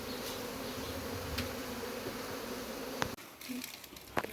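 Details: Honey bee droning from a hive being taken down, continuous for about three seconds, then abruptly cut by a knock and dropping to quieter, broken buzzing with a few sharp clicks.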